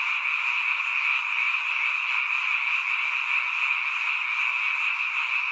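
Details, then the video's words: Many frogs calling at night near a mountain village, a seasonal chorus heard only at this time of year: a dense, unbroken high trilling wall of croaks with no pauses, steady in loudness throughout. "잠이 오지않은 밤 개구리 소리와 잠을 청해보세요"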